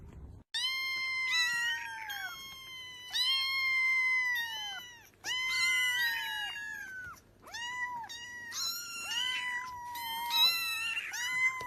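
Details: Several cats crying indoors: a continuous run of high, clear, drawn-out meows, each starting sharply and sliding down, overlapping one another with hardly a pause.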